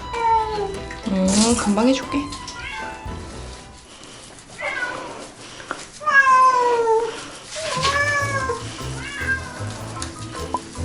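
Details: Domestic cat meowing while being given an emergency bath after soiling its fur; drawn-out, wavering meows rise and fall in pitch, in three main bouts separated by pauses, over background music and faint human voices.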